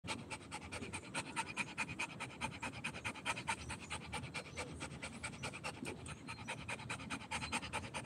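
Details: Rottweiler panting hard while playing, rapid even breaths about two per second running through the whole stretch, broadband and breathy, with no other sounds over it.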